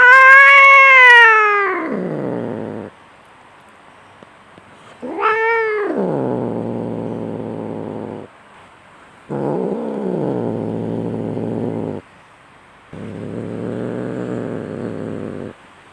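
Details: Angry fighting cat: a high wail falls away into low, rough growls, then a second rising-falling yowl leads into long stretches of throaty growling, each lasting a few seconds.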